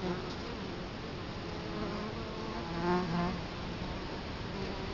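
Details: Close buzzing at an Italian honey bee hive entrance, Colorado Springs, October 2011, with the camera placed right in front of the hive. A constant hum is joined by a nearer, louder bee drone around three seconds in.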